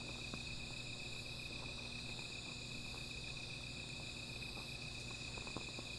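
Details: Nighttime insect chorus near a small fire, a continuous shrill ringing holding at a constant pitch, with a low steady hum and a few faint clicks throughout.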